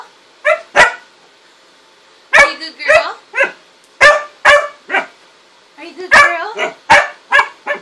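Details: Pet dog barking indoors: short, sharp harmonic barks in two loose bursts, first a pair, then a quicker run of about eight barks, with quiet gaps between and no other clear sounds.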